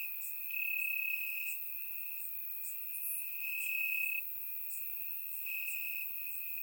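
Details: Crickets in grass on a warm Bulgarian summer night, surround-microphone recording: a persistent shrill trill with several louder surges, accompanied by quieter high chirps repeating rapidly in the background.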